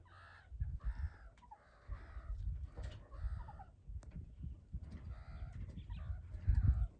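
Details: Young meerkats wrestling and playing tag give short harmonic chirping calls in clustered bursts, with heavy low rumbling and scuffling noise beneath.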